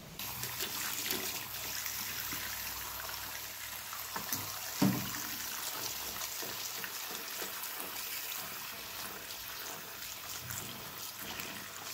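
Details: Trickling, running water like a tap filling a sink, with a single soft knock near the middle and no animal voice.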